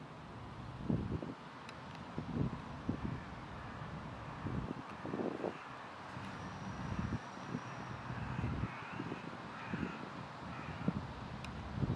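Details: Low rumbling wind and distant traffic noise fill the recording, with no clear animal calls standing out.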